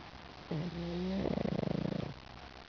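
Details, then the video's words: Pug named Lil Mac, smiling while asleep, snoring: a low whistling tone on the inhale, then a rattling, fluttering snore for about a second. "Lil Mac snoring"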